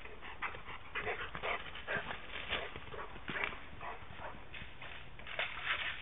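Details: Dogo Argentino in Moscow giving a run of short, bursting whimpers and yelps, several per second, some with a brief tonal edge, over a steady muffled background hiss.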